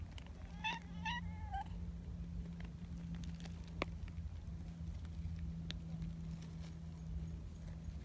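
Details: Friendly community cats greeting side by side, the black boss cat Donchan with a tuxedo companion; three quick rising chirpy meows in the first two seconds, then low hum, a sharp click and soft shuffling.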